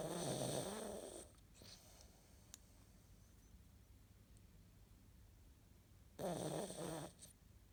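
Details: Cat snoring in its sleep, recorded 11 April 2017; two loud raspy snores about five seconds apart, each with a low throaty rumble, separated by faint quiet breathing in a still room.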